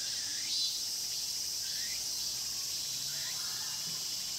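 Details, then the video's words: Cicada chorus in the Mokgye pine grove, Cheongsong, filmed with a Panasonic LUMIX GX9: a constant piercing high buzz with three upward-sliding chirps spaced about one and a half seconds apart. "자연의 소리 '청송 목계솔밭 매미소리' cicada sound"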